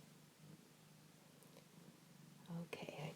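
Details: Foster kitten purring indoors; a low, rapid rumbling purr continues steadily, then a person's soft voice and a sharp click join near the end.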